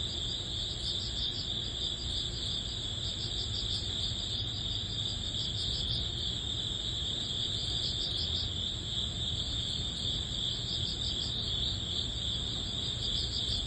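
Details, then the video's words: Grass insects, crickets, singing in early autumn as summer ends: a constant piercing high drone overlaid with quick beating chirps, many callers blending, and a soft low rumble beneath. "여름의 끝자락 초가을 풀벌레_ 백색소음_ Cricket sound"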